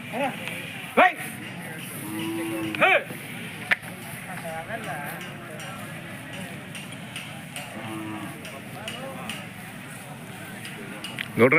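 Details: Hallikar cattle at the big cattle fair of Turuvekere taluk, the Jodugatte market: two low, drawn-out moos rich in harmonics, separated by several seconds, over steady crowd chatter, traders' voices and sharp knocks and clatter.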